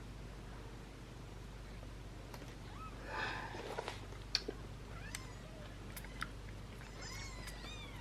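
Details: Young British Shorthair kittens, one of a litter of seven still being syringe-fed, give thin, high, irritated mews, some rising and falling, showing they are still hungry, over a low steady background hum.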